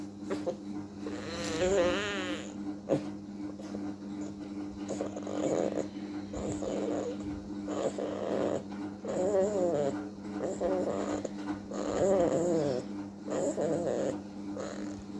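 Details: Beagle puppy asleep and snoring: rough, wavering nasal breaths repeat about every one and a half to two seconds, some with a whining, warbling edge, over a steady electrical hum.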